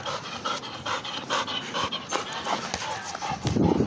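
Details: Pit bull panting while at play: quick, breathy, rhythmic bursts of noise, roughly four per second, steady throughout, with a louder rougher rush near the end and faint voices underneath.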